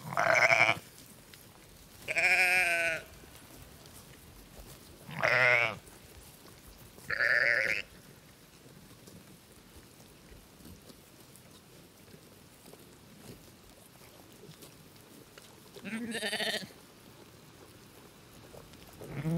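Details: Sheep on a farm giving five short, separate bleats, each under a second long, spaced a few seconds apart with a long quiet gap before the last one, over a low hiss of background noise.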